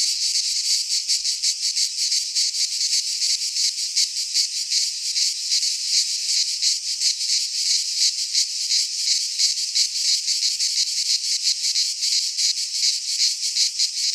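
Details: Cicadas singing in a Greek pine forest in midsummer: a dense, continuous high rasping buzz that pulses in quick throbs, nearly three per second, with no other sounds.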